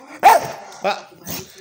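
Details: A male Staffordshire Bull Terrier gives three short, throaty, bark-like yowls, asking its owner for breakfast.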